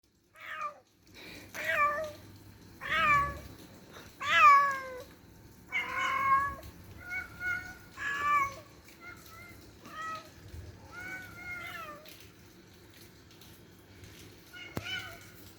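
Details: Two cats talking to each other with strange noises: a long run of about a dozen tonal meows, some rising then falling, others short and chirpy. The calls come in irregular exchanges over a low background hum.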